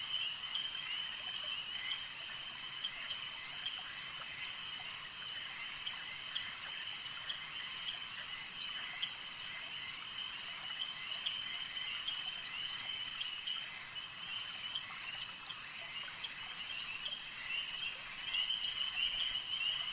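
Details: Frogs calling at a lake, a dense, unbroken chorus of high, rapid trilling croaks layered over one another, holding a steady level for the full twenty seconds with a soft natural hiss underneath.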